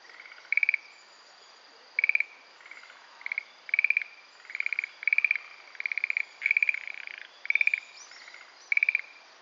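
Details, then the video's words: Schlegel's green tree frog calling from a thicket of Carex sedge in the Itsukushima wetland gives light, castanet-like, rattling pulsed trills, repeated every second or so. "カサスゲの茂みで鳴くシュレーゲルアオガエル"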